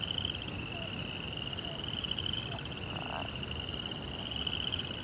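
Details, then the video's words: Crickets at night give a continuous high-pitched pulsing trill at a constant pitch, with a short lower buzzy burst near the middle and steady low rumble beneath. "Cricket Sounds"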